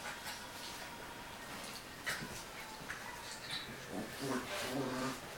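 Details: Dogo argentino named Ziza and Maltese named Princess fighting indoors in a room; short scattered yips and whimpers with rough growly bursts, irregular, with a person's voice in the background.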